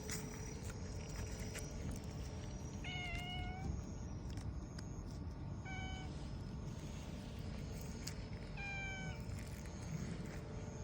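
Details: Black-and-white hachiware community cat, outdoors, calling as it leads someone who follows its voice; three short meows about three seconds apart, the middle one briefest, over constant low background rumble and a thin high insect whine.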